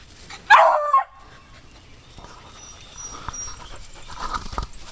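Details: Female beagle treeing a squirrel: one sharp, loud bark, then quiet outdoor background with faint rustling.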